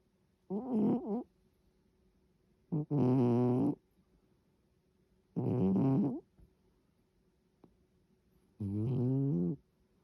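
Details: Snoring from a sleeping cat, four rough, buzzing breaths of uneven length spaced two to three seconds apart, some with a wavering pitch, in a quiet room.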